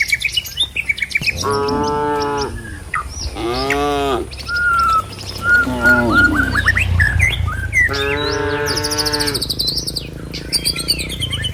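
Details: Herd of cattle driven along a village road toward their pen, amid trees and rice fields: several long, deep moos with stacked harmonics, rising then falling, spaced a few seconds apart, with bird chirps scattered high above.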